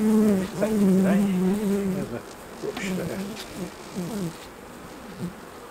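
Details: Honey bee flying close during a honey harvest at the hives. A strong droning buzz holds for two seconds, then fades into several short, quieter buzzing passes that rise and fall in pitch.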